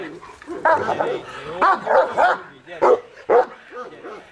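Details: At Majosháza, a Cane Corso gives short, sharp barks and yips while a man talks alongside; it is the dog's first time seeing and catching a bite arm, and it did so convincingly.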